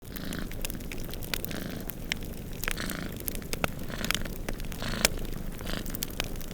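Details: Two cats snoozing and purring beside a crackling fireplace during a snowstorm; a low, steady rumbling purr runs underneath frequent sharp pops and snaps from the fire, with soft hissing wind throughout.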